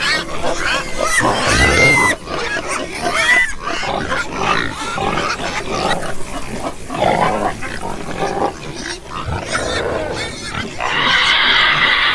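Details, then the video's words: Domestic pigs and piglets in a noisy pen, rapid coarse grunting interrupted by short shrill squeals, ending with a sustained high squeal near the close. "Ouça o som dos porcos - Porco - porco roncando - som do porco"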